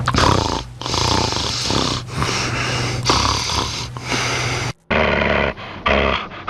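A Rat Terrier snores loudly in long, rough, rasping breaths, a humanlike rumble.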